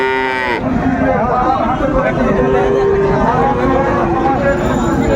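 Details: Friesian and crossbred bull calves at Raniganj cattle market, Dinajpur, on 3 September 2024; a brief, rich moo opens the recording, then loud bargaining voices and market bustle take over.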